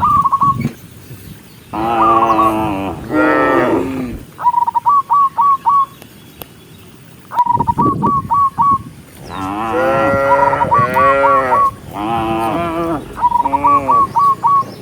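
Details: Cows in a large herd walking neatly toward the barn, several long, deep, harmonic moos overlapping in pairs, with gaps between bouts, and quick high chirping notes repeated in short strings between the calls.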